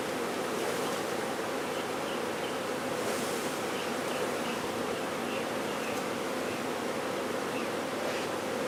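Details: Swarm of honey bees during removal in Brownsville, Texas: continuous thick droning buzz throughout, with faint short tones rising above the hum every second or so.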